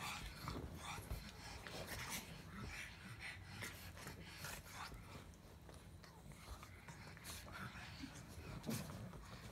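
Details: A pug grumbling: a low, rough rumble with snorty, breathy pulses runs steadily through, broken by scattered soft snuffles and brief higher rasps, with no other clear sounds.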